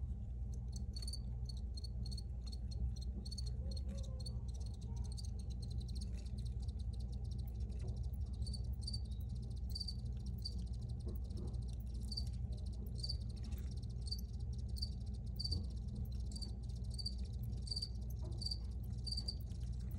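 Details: Recorded crickets giving a long run of high, thin chirps repeated roughly twice a second, steady and rhythmic, with a dense low background hum and faint crackling beneath.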